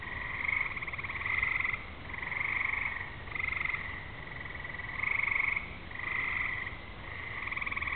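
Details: Frogs sing together on a summer evening just before rain, fireflies flashing and thunder in the distance; layered buzzy trills in two bands rise and fall nearly without pause, pulsing about once a second across the recording.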